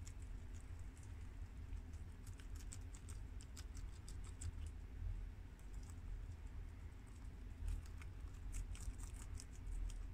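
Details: Crisp, irregular crunching as four guinea pigs, Shiro and Crash (American boars) and Cookie and Peanut (mini yak and Abyssinian sows), chew freshly washed garden romaine lettuce; chewing bursts cluster and pause against a constant low background hum.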